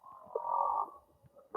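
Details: A large male humpback whale that came to the Tonga islands to find a female sings underwater, giving a drawn-out, wavering moan as part of its mating song.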